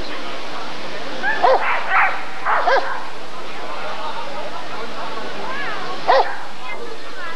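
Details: Barking Rottweiler at the 1994 ADRK Körung breed survey: a close cluster of three or four short barks, a pause of a few seconds, then one more bark, over a steady crowd murmur.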